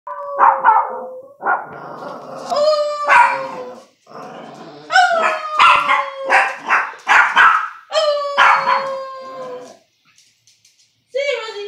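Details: Pet dog howling as its owner's mother tries to coax it; long sliding tonal howls alternate with a woman's voice imitating howls, several drawn-out falling notes, then a brief quiet stretch.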